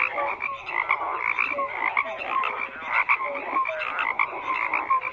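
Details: Overlapping frog croaks form a continuous buzzing chorus, broken by quick swells every half second or so and many short pure gliding notes from individual callers.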